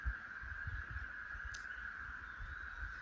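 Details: 13-year periodical cicadas fill the air with a steady, unbroken mid-pitched drone, a massed chorus that never pauses; low wind rumble and one brief click sit underneath, with birds including a Wood Thrush nearby.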